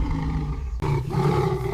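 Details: During a territorial clash between rival male lion coalitions in a drought-stricken delta, three against two, a deep, sustained roar rumbles low, broken by a brief drop before resuming steadily with a faint tonal hum beneath.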